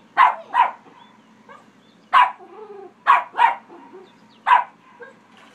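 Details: Pet dog at a pond, barking at a person swimming there, a habit whenever anyone swims or jet skis: loud sharp barks in pairs and singles, six in all, separated by brief pauses with faint whines between.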